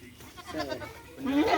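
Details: Goat bleating while being injected with vitamins: a short, wavering, harmonic bleat that rises toward the end, with people talking close by.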